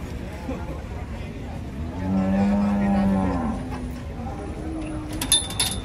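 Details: Giant cattle, described as rampaging while being unloaded from a truck in Indonesia, give one low, drawn-out moo with a steady tone, rising in loudness near the middle, over a constant background rumble and brief clatter at the end.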